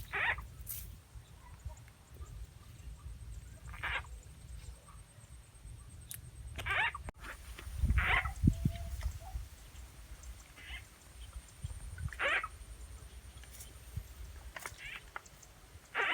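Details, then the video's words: Rural Rizal N.E., frogs caught by playing a frog sound effect; short croaking calls come irregularly, roughly every one to two seconds, with a thump and faint handling noise in the middle. "Catching frogs using frog’s sound effect"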